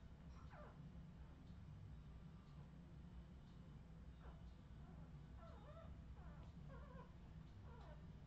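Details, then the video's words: Australian Terrier puppies recorded in 2018 give a run of high, wavering whines and squeaks, some rising then falling, clustering toward the end over a steady low indoor hum. "Redwing Australian terrier puppies"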